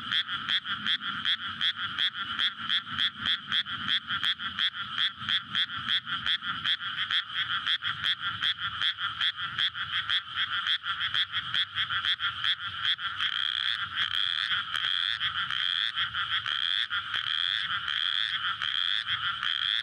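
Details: Dense night chorus of frogs courting in a water-filled paddy in May before planting, recorded on a SONY PCM-D100; rapid, overlapping croaks form a continuous rattling wall, with faint low rumble of a nearby road early on.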